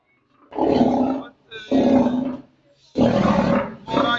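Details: A lion at the zoo in Bahawalpur, recorded 17 June 2022, gives a series of deep, rasping roars, each about a second long, in quick succession.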